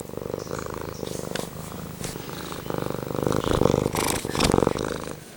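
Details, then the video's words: Pumpkin the tomcat purring right against the recorder, a strong buzzy rumble of fast regular pulses that grows louder in waves with his breathing. "Just about purring and meowing for 5 minutes"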